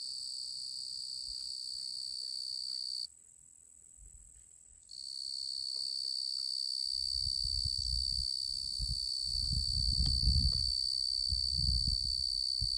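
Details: A male tree cricket (genus Oecanthus) sings a steady, high, pure-toned trill that runs on without pause.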